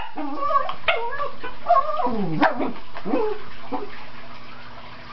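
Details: Teek the Cairn Terrier chasing dust while playing in sunlight, barking excitedly: a dense, uneven volley of sharp, high barks and yips, some sliding down in pitch, fading toward the end.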